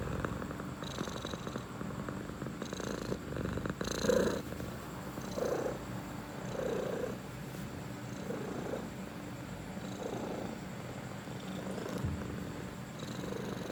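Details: Relaxed domestic cat purring close up, a deep throbbing rumble with soft rhythmic swells roughly every one to two seconds, and a brief louder rustle near the fourth second.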